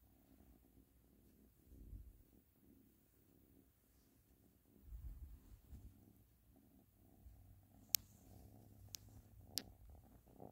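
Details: Ashley, a cat, purring in a gentle low pulsing rumble that swells louder a couple of times, with three sharp clicks near the end.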